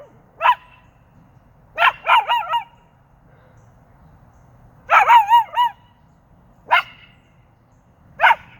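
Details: Mango, a dog, howling in scattered bursts: single sharp yelps alternate with longer wobbling, sliding howl phrases every couple of seconds over a quiet background.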